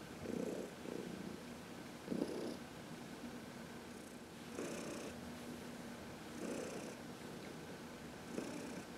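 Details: Senior cat Heidi, from the Humane Society of New York City, purrs while being massaged in the sun on March 19, 2021; pulsing purr cycles come in uneven bursts every one to two seconds, with a quiet hum beneath.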